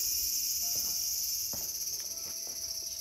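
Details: Cicada in a small garden, recorded August 5, 2020, giving a continuous high, hissing buzz. Over it come several short, low, level whistled notes, with a few soft clicks.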